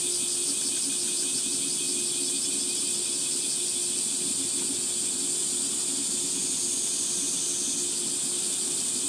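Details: Cicadas calling in the heat of a 37°C July morning on a forest path in Gifu Prefecture Hyakunen Park, Japan; an unbroken high-pitched buzzing wall with uneven throbbing, a low steady tone running underneath.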